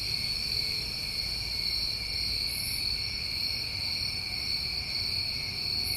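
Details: Continuous shrill trilling from New England summertime crickets at night, steady and unvarying in two stacked bands, with two brief faint high chirps and a low background murmur.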